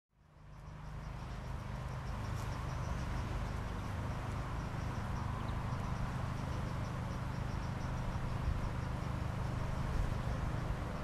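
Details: In summer in the UK, buff-tailed and red-tailed bumblebees give a low, steady drone that hums continuously, with a faint high ringing above it.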